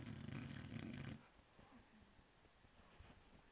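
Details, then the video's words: Sleeping dog snoring indoors: one low, rough, rumbling snore lasts about a second, then the room falls quiet with only faint breathing. "Dexter Snoring"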